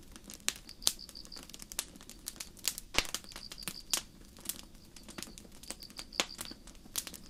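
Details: Crickets in a forest at night, with a campfire burning under the stars: thin, high pulsed chirps come in quick groups about every second, set against frequent loud crackling and popping wood.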